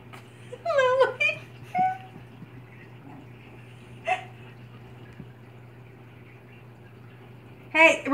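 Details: Chihuahua sister puppies roughhousing indoors; high, sharply bending yelps and squeals near the start, brief sharp cries between, another squealing burst at the end, over a steady low electrical hum with a woman's voice calling out.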